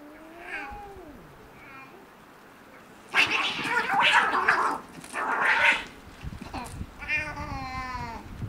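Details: Cats fighting outdoors at night: long wavering yowls rising and falling, then two loud harsh screeching bursts in the middle, ending in a tremulous wailing howl.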